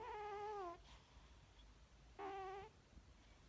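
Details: Sleeping cat indoors in a dining room, snoring: two drawn-out, whistling, slightly wavering tones, each under a second long, separated by a quiet pause of about a second and a half, like breaths in and out.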